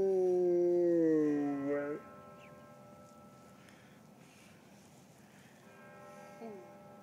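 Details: Orka, a dog on the eve of its first birthday, howl-singing in tune with the Marylhurst church bells: a long wavering howl sliding downward for two seconds, then steady ringing bell tones with a faint second howl late on.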